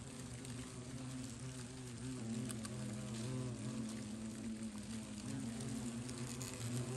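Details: Several European hornets around a very large, active nest inside a hut in eastern Germany, flying about the person nearby. A steady low droning buzz of overlapping wingbeats, wavering slightly in pitch and swelling and fading throughout.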